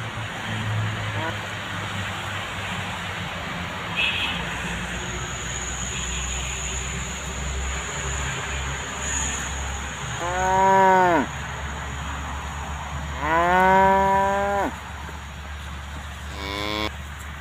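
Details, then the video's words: Tame cows at pasture with their calves: after a stretch of broad rumbling background noise, two arched harmonic moos arrive close together, followed by a clipped third call at the very end. "the sound of cute tame cows grazing with their calves"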